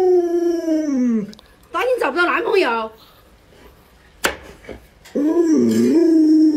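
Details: Luoluo, a pet Alaskan Malamute, reacts to an owner sick in bed indoors: a falling, harmonic-rich howl, then a warbling broken vocal stretch and a quiet gap with a sharp click, before another wavering howl.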